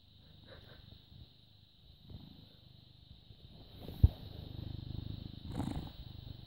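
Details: Purring British Shorthair cat, born August 2010 and recorded on the morning of 14 May 2017: a soft, low rumble that grows stronger after a sharp click, continuing in pulsing waves under a constant thin high whine.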